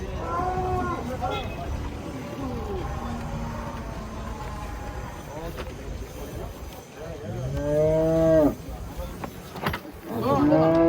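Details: Cattle being unloaded from a truck, shown as unusual, funny cows. Several drawn-out harmonic moos, one near the start and two louder ones towards the end, with a man talking in between and faint vehicle noise.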